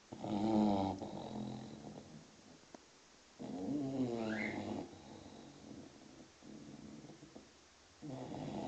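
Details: A sleeping English Bulldog puppy, six months old, gives two long, gurgling snores, each a rough, buzzing breath lasting over a second. One brief bird chirp sounds during the second snore.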